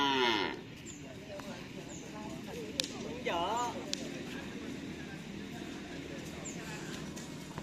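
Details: Madura cattle at a morning karapan sapi racing practice on the Asemanis field in Pamekasan, ahead of the Gagak Rimang team's anniversary, after a dry spell. A short falling moo opens, then a wavering lowing call midway, with faint high chirps and low background rumble.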